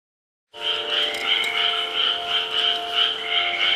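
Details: Frogs calling at 6 pm: after a short silence, a dense chorus of many overlapping, rapidly pulsed, raspy croaks, with a steady low humming tone running beneath them throughout.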